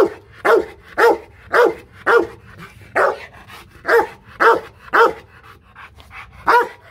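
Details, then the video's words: Fierce Rottweiler barking aggressively at a Hanoi kennel in Vietnam: a run of about eleven powerful, rough barks, evenly paced near two per second, each short and forceful, over a quiet background. "Tiếng chó sủa kinh hoàng| DOGS BARKING"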